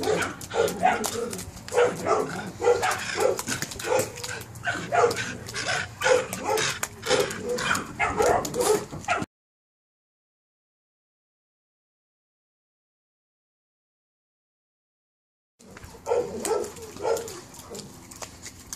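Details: Perro de Presa Canario puppies, 72 days old, giving rapid, irregular yips and barks, roughly two per second, in a busy overlapping burst; a long silent gap follows before the yapping resumes.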